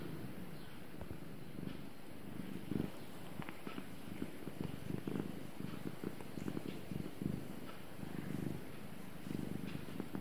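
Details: Gara, a pet cat, purring through a quiet daily routine: a low rumbling purr in soft rhythmic pulses roughly once a second, steady throughout, with a few faint clicks and light rustles behind it.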